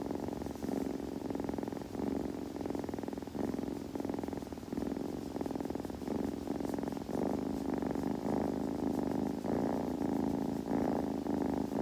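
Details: Kitten purring as it grooms, a long unbroken buzzing rumble with gentle breath-by-breath swells, faint licking-like textures on top, in a calm room.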